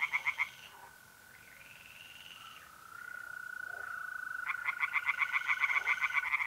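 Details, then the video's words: Night pond in north-east Italy in mid-April. Brief bursts of pulsed tree frog croaking open the scene, then a steady mole cricket trill holds alone before the rapid frog pulses return strongly. "relaxing singing tree frogs in pond and trilling mole crickets by night"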